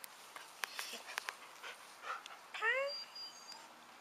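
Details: Rocky, a Siberian Husky, filmed in closeup, lets out a short rising whine with clear harmonics after a stretch of soft clicks and handling noises.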